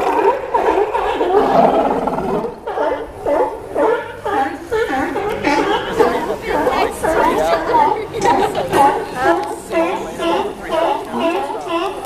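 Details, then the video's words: Crowded sea lions calling together at a dock in Newport, Oregon, a choir of raspy, honking barks and groaning roars overlapping in quick pulses roughly twice a second, forming a steady clamorous wall of sound. "Sea Lion Choir !"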